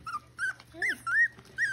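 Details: Miniature Schnauzer puppies, six weeks old, playing with their mother: loud, high whining whimpers, several rising-and-falling whines in quick succession with a brief low growl-like note, a woman's soothing voice nearby.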